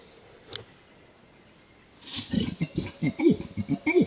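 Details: An adult male Bornean orangutan at Tuanan Research Station, Central Kalimantan, Indonesia, gives a fast long call, a quick run of deep rising-and-falling groans, signalling that observers are too close.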